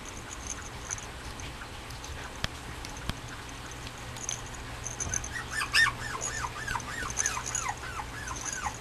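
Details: Male Mame Shiba puppy at a breeder's kennel, dated 6.20, whining in a quick run of arched, high notes, roughly three or four per second in the last few seconds, after a quiet start with a couple of clicks.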